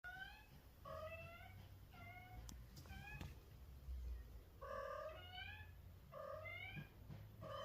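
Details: Mother cat calling her kitten: a series of short harmonic meows, each bending down then up, repeated about once a second with brief pauses, over a low steady indoor hum.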